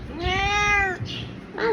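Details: Big ginger house cat giving one long, loud, harmonic meow lasting nearly a second, steady in pitch, then a short start of another cry, while a woman speaks nearby indoors.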